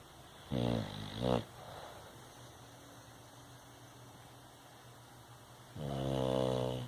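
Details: Bulldog asleep, giving a pair of short, rough snorts close together, then a longer, rumbling snore a few seconds later. Faint room hiss fills the pauses.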